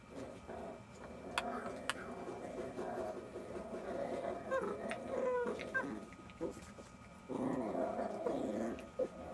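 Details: Jack Russell Terrier puppies at play, a low rumbling growl running through most of the stretch with short yips and squeaks, swelling again near the end.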